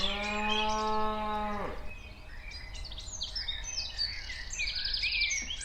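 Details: Cattle walking around outdoors; one long, steady, harmonic-rich moo lasting nearly two seconds and ending in a falling slide, followed by many chirping birds in the background.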